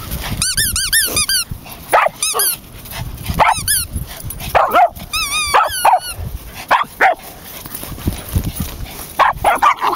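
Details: Samoyed puppy Jasper, four months old, romps at a local dog park alongside his Pomeranian x Dachshund brother Bailey. Shrill, arching squeals in rapid clusters alternate with gruff, irregular barks throughout.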